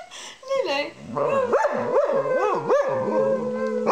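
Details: Pet dog howling along as its owner sings: a long, steady, wavering howl holds one pitch while a human voice swoops up and down in repeated waves beneath it, with a short low hum near the end.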